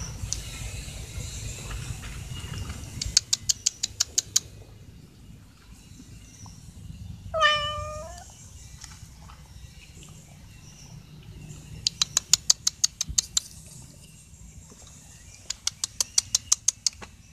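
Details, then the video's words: One of three stray cats begging for food, expecting dry food. A lone drawn-out meow, bending up then down, rises midway, framed by bursts of rapid crisp clicking before and after, over quiet low rumble. "CAT MEOWING BEGGING FOR FOOD"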